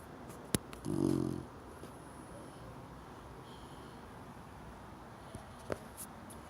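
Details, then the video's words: A cream Chow Chow pup, four months old, asleep and snoring: a single low, buzzy rattle of about half a second stands out against a quiet room, with a few faint clicks before and after. "크림 차우차우 chow chow 4개월된 녀석의 코골이"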